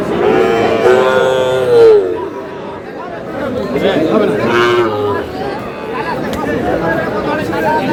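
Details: Young bull calves at a livestock market, bought by a Madaripur farmer on 4 August: two clear, strongly tonal moos early and midway, one sliding downward, with buyers' speech and market chatter throughout.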